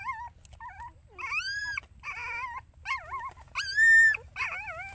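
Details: Mother dog looking after her puppies; high, wavering whimpers rise and fall in separate bursts, with a long rising whine near the middle and a louder, sustained upward whine close to the end over a quiet low background.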